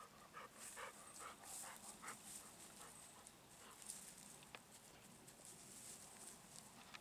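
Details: Golden Retriever coming home at dusk in the satoyama countryside as the sun sets and the moon rises; rapid, breathy panting bursts, a little irregular at about two per second, over a quiet rural background.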